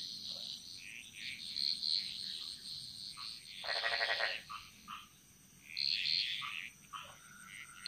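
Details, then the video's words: Jungle frogs in Bali singing in chorus: scattered high clicking pulses, then a loud rasping croak burst near the middle and paired chirps later, all over an even insect drone. "Frog Mantras - Relaxing Sounds Of Bali"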